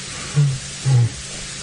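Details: Male lion (Panthera leo) grooming at sunset on 26 Oct 2017 gives two soft, deep grunts, the quiet start of a contact call to an out-of-sight coalition partner, a call that grows louder until answered.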